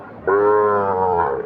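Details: A single clear, steady moo, about one second long and richly harmonic, from a Sahiwal bull calf at Ambari livestock market, with faint crowd noise before it.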